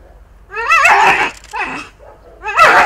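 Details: Akita Inu under re-education for aggression with biting, told to stay lying down. A rising, wavering whine swells into a loud, harsh bark, then a second whine-bark follows about two seconds later.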